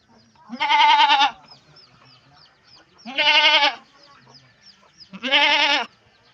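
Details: Pregnant farm goats, all near kidding, calling in the morning: three strong, nasal, quavering bleats, each lasting roughly three quarters of a second and spaced about two seconds apart, with faint background noise between them.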